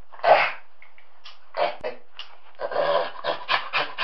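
A chimpanzee gives a harsh, breathy opening cry, then a quickening series of rough, rhythmic pants, about four per second near the end.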